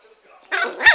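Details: A single sharp, high yap from Chanel, a dwarf Pomeranian, rising into a loud peak at its end after a quiet moment.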